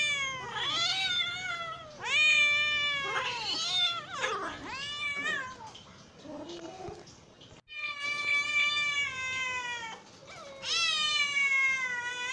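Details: Hungry cat giving a series of loud, harmonic meows, several short rising-falling cries early on, a brief quieter stretch, then two long sustained wails near the end.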